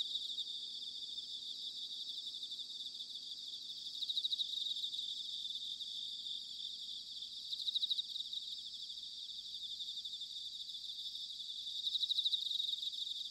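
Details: Continuous high ringing of many bell crickets in autumn at Sanuki, Chiba prefecture, Japan, broken by louder pulsed trill bursts roughly every four seconds; low background murmur only.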